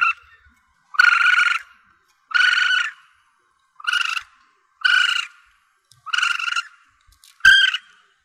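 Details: Young Asian palm civet squealing, a recording used to attract targets when hunting: six or seven rasping, nasal cries, each around half a second, coming about once a second with silence between.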